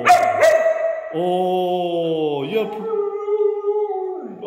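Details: Red female Siberian husky vocalizing: a short noisy yelp, then a long, steady, harmonic howl-like tone with slight wavering pitch that drifts gently downward, lasting about three seconds, with a brief higher note near the end.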